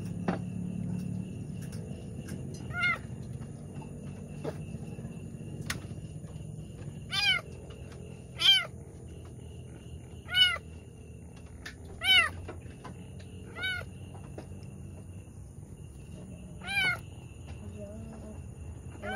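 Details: Pregnant cat struggling through the birth of two kittens, heard as a series of brief high-pitched mews, six or seven spaced one to three seconds apart, with a low background hum.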